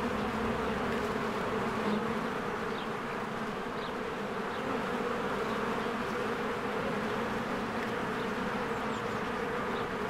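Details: Spring hive entrance with swarms of honeybees coming and going; a thick, constant humming drone, with brief faint chirps of birds scattered through it.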